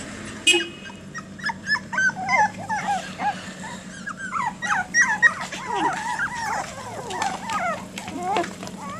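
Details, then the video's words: Ten one-month-old Jack Russell Terrier puppies playing on a back-yard lawn, on their first trip outside without their mother; many overlapping high, squeaky whines and yips, some rising and falling, over a steady low hum. "Jack Russell Terrier Puppies Playing"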